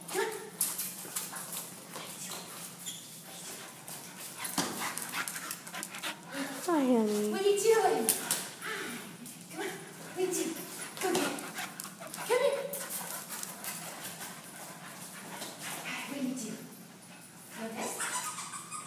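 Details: Monty, a Labrador Retriever up for adoption, plays a catch game in a small room; high, sliding whines and short yips rise and fall between a woman's encouraging words and footsteps.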